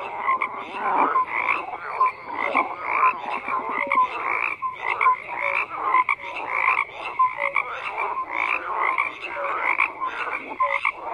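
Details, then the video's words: A thick frog chorus: many croaking voices overlap in rapid rattles, broken by short clear tonal notes repeating every second or two. "FROGS CROAKING"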